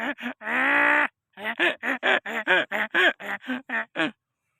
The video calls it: funny donkey sound/very funny voice donkey /donkey raja